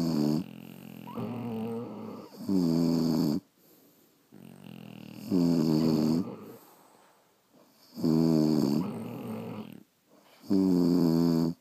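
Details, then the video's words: Pet French Bulldogs sleeping at home give deep, gravelly snores in regular bursts, each rasp lasting about a second, with near-silent pauses between. "Snoring French Bulldogs"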